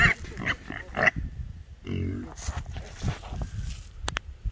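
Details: Trapped wild hogs, small boars among three caught in a small trap; short rough grunts and snorts in uneven bursts, mixed with a man talking and some clatter.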